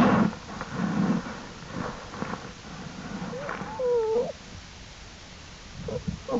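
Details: American black bear cubs of Jewel, outside the den with their mother on April 2, 2012, exploring; one arching tonal squeal with harmonics rises and falls near the middle, over low rustling and scuffling.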